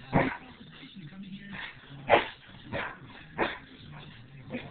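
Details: Pit bull facing off against its owner: loud, harsh barks about every second, some gruffer and some higher, with low rumbling and faint talking between them.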